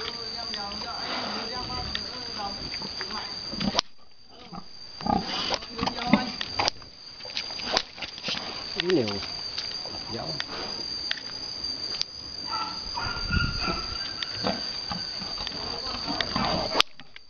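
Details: Boar mating a virgin sow on a Vietnamese farm. Short grunts and squeals rise and fall in tone, repeated over steady farm noise, with clicks, clatter and people talking.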